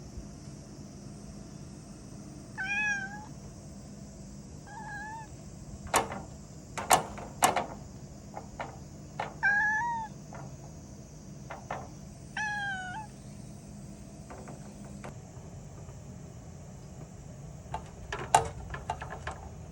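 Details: Torako, a pet cat, reacting to a cicada, gives four short warbling, chirp-like meows between about 2.5 and 13 seconds, with scattered taps and clicks and a steady high hiss that stops near 15 seconds.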